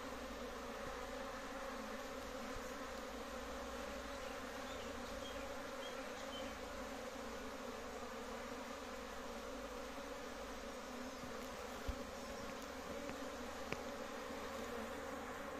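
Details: Sustained deep hum of a big honey bee colony kept at a home apiary, smooth and constant over the whole stretch, with a faint underlying rumble and one sharp tick.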